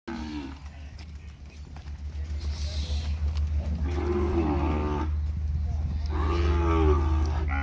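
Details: Cattle, one lot of seven steers shown at a livestock auction in sale pens in Araçatuba, São Paulo, Brazil, on a Thursday afternoon, 11 March 2021. Two long, low, drawn-out moos rise over a steady low mechanical hum, with a man speaking Portuguese.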